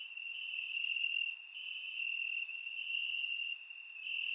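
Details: Night chorus of crickets in Bulgarian grass on a warm summer evening, a continuous high-pitched trill overlaid by sharp chirp bursts roughly once a second, swelling and fading gently; no other sounds.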